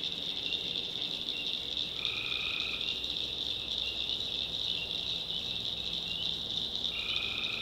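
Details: Swamp tree frogs at night in backwoods North Carolina, a continuous piercing chorus with two distinct drawn-out nasal calls rising above it, roughly five seconds apart.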